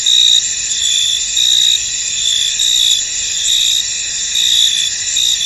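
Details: Crickets in a misty, foggy field: a dense, steady high-pitched chorus with pulsing chirps that swell and fade about once every second, with no other sounds standing out.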